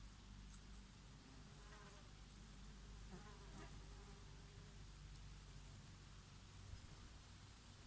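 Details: Bees working oregano flowers on a summer day: a clear, continuous low buzz, swelling briefly as an insect flies near, over a faint hiss of breeze.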